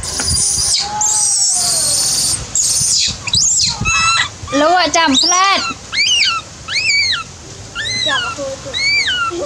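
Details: Dewdew, a baby monkey, crying and calling for its busy mother: after a few seconds of harsh hissing noise, high arched squealing cries repeat about once a second, each rising then dropping in pitch.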